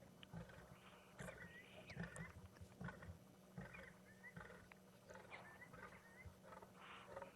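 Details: Deep, rumbling lion growls come in uneven bursts at sunset in late October, while sharp, high calls of Senegal lapwings heading home ring out overhead and a faint steady hum runs underneath.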